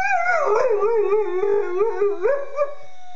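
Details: American Staffordshire Terrier named Jagger imitating police and ambulance sirens, a continuous wavering howl that warbles up and down in quick undulations over three seconds, rising at the end, with faint clicks underneath.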